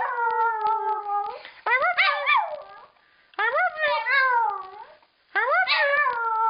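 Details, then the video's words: A female dog mimics the phrase "I love you" in howl form, giving drawn-out tonal howls with wavering, rising and falling pitch in four phrases separated by short pauses, indoors in a small room. "Dog Howling"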